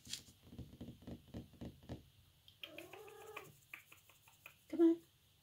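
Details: A Siamese cat, apparently confused and nervous, gives a drawn-out, wavering meow after a run of soft rapid pulses.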